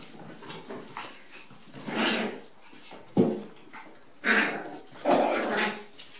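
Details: Five-week-old Rat Terrier pups romping rambunctiously together in a small bathroom; rough puppy barks and growly yelps come in uneven bursts about once a second, with scrabbling paws between them in the room's close echo.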